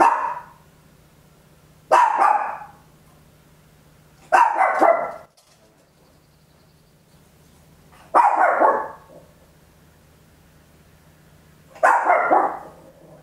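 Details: A small Papillon at home gives five loud, raspy barks at uneven gaps of two to four seconds, each a brief explosive burst; stereo home recording made with an Olympus LS-11, quiet background between barks.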